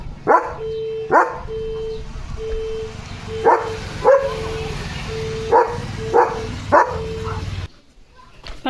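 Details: German Shepherd Leo barking non-stop at another dog he spotted outside: about nine loud, sharp barks in an uneven run, with a steady low hum underneath throughout and a quiet ending.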